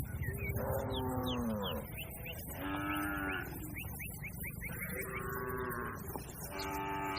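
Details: Grazing cattle herd on a broad green field: repeated moos, some rising and wavering, one roughly every one to two seconds, with quick high chirping bird calls scattered throughout and a steady low background rumble.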